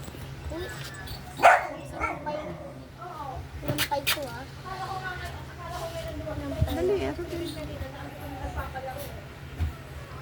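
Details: Playful French Bulldog lets out one sharp bark near the start, then a run of grumbling, wavering whines and yips, with human speech talking over much of the recording.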